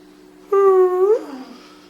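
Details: A dog singing on command gives a single sustained tonal howl of about half a second, steady then rising slightly before sliding down into a brief whine, indoors with a low steady hum beneath.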